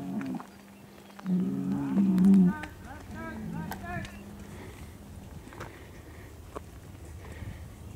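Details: A Hereford bull among big herd sires moved for fertility testing lets out a loud, low, steady moo of about a second, followed by a quieter, longer, flat tone, with background clatter and brief voices.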